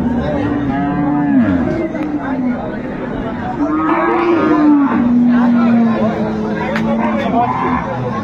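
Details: Improved-breed dairy cows and calves at Ambari haat cattle market, Dinajpur, on 25/8/25: long, low, steady moos drawn out for one to two seconds, three in a row, over constant crowd chatter and market voices.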